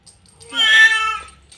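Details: Siamese cat, described as a talking cat, giving a single drawn-out meow that rises then falls, about a second long, with a woman speaking softly to it before and after.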